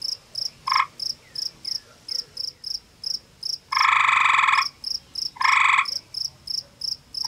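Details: Male gray tree frog in a small cave beside a pond in forested Ontario, Canada, warning a rival male over territory: a short trill, then two loud harsh pulsed trills about two seconds apart, over steady rapid high insect chirping.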